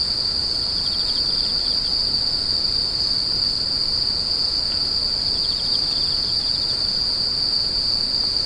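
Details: Unceasing shrill whine of crying insects, joined twice by short, fast-pulsed chirping trills a little lower in pitch, all above a quiet low-frequency rumble.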